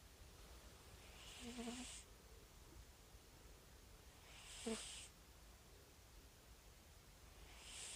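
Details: Sleeping calico rescue cat snoring with breathy hissing snores roughly every three seconds, some carrying a short low nasal whistle, in a quiet room.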